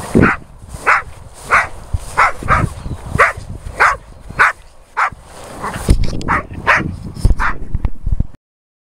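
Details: Boxer dogs Millie and her friend Henry playing together on a walk: a run of short, punchy barks or play growls repeated roughly every half second for about eight seconds, briefly pausing midway, over low rumbling background noise.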